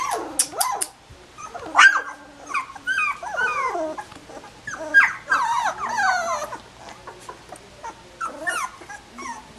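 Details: Collie puppies sixteen days old whimper and whine in high, sliding squeals, each rising then bending down, coming in bursts with short pauses across ten seconds, while a person briefly speaks to them softly.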